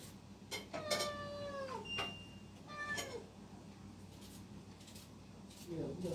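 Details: Kitten meowing indoors: two clear harmonic meows, the first long and gently falling, the second shorter and also falling, with a brief high squeak between them and soft room noise around.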